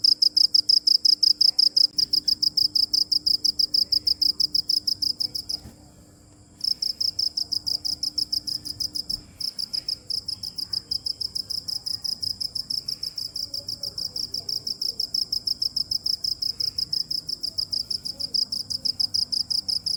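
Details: Cricket chirping in a continuous fast train of high, sharp pulses, briefly stopping for about a second near six seconds, then resuming at the same rapid pace; a faint low hum runs beneath.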